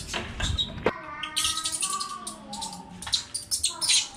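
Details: Baby monkey calling indoors, a run of thin, clear whistled notes that glide and waver at a steady high pitch, with brief scratchy noises and soft background music.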